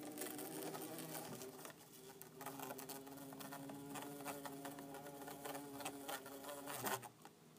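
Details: Pair of captive bumblebees, orange-belted and yellow-faced, buzzing inside a tank: continuous humming drone with layered overtones, swelling and easing, with scattered clicks and patter throughout and a sudden stop near the end.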